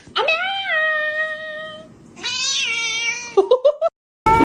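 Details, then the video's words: Domestic cat making weird calls: a long, steady, whining meow, a second high drawn-out cry, then a quick run of short chirping yelps. "Weird cat sounds"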